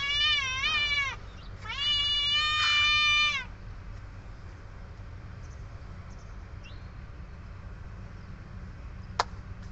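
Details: Young pet kittens having food, giving two loud, long, wavering high-pitched mews in quick succession at the start, followed by quieter faint mewing and a sharp click against a low humming background.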